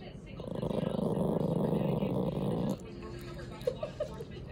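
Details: A small Chihuahua growls in a low, rough, sustained rumble at a visiting cat, which is bigger than the dog and makes it feel threatened.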